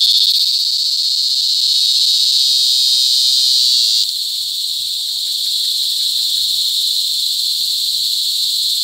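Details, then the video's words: Cicadas calling during mating season, recorded up close on July 18, 2020 at Sitio Bagumbayan, Brgy. Balabag, La Carlota City, Negros Occidental, Philippines: an unbroken, very loud high-pitched buzzing drone that drops slightly in volume midway. "Cicada Mating"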